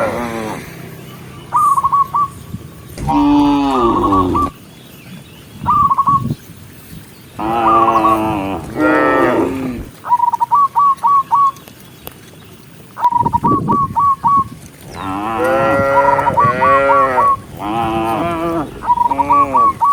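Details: Herd of tame cows moving along a countryside path toward home as the sun sets, calling the others back: loud drawn-out moos in separate bouts with quiet gaps, mixed with quick runs of short high chirps.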